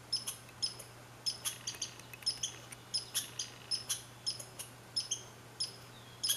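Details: Red squirrel (Sciurus vulgaris) at Saint-Calixte, Lanaudière, 15 July 2020, giving rapid high-pitched squeaky chips, about two per second, each a sharp thin note, over a quiet background with a low constant hum.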